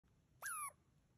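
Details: A wild Douglas squirrel on the Ancient Cedars Hike gives a single harsh, squeaky note that slurs downward, scolding the person recording in a defensive telling-off.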